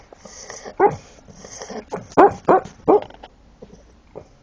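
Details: A Shar Pei snores and barks in its sleep. Hissing breaths are followed by four stifled, throaty woofs close together, then quieter huffs fading out.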